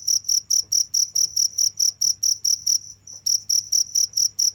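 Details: A cricket calls without letup, strong high-pitched pulses repeated about twice a second, broken by one brief pause before resuming the same beat.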